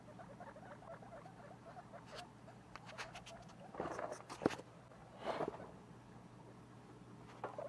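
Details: Two-week-old baby guinea pigs kept as pets, giving a soft, rapid, steady chatter of short tonal notes that runs throughout, with a few sharper clicks and rustles from about four seconds on.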